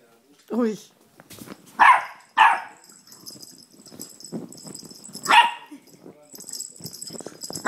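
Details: Blue Note, a nine-month-old male Chihuahua playing on a couch, filmed by phone; he barks only in play. Sharp, high yapping barks burst out three times, two close together then one more after a pause, with soft rustling and a faint steady hiss between.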